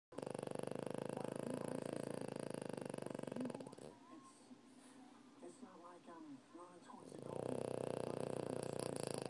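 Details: Nikko, a sleeping French Bulldog, snoring at home: long harsh, rattling, buzzy snores fill the opening seconds and return near the end, with a quieter stretch between holding faint wavering nasal tones.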